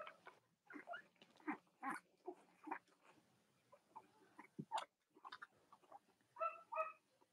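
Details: Young Cavalier King Charles Spaniel puppies of Robin and Myra, kept indoors, US, chilly Monday morning near Halloween, make scattered thin squeaks and whimpers, ending with a few clearer tonal whines, amid faint room noise.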